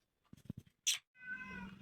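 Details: Cat visiting a home; soft tapping and a brief hissy rustle, then a single drawn, slightly rising meow.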